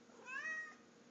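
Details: Indoor pet cat meowing at its owner after being fed: one short rising, bending meow lasting about half a second, with a faint room hum and no other sounds.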